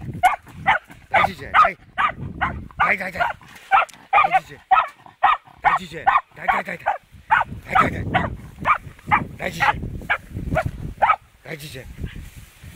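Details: A fox terrier's first confrontation with a wild boar, with steady, excited barking at a fast uneven pace over rumbling, rustling background noise and low sounds.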